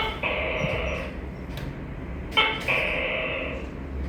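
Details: Tokay gecko with a drawn-out, buzzy harmonic note, then a full two-part call: a short sharp first syllable followed by a longer nasal second note. A low steady hum runs underneath.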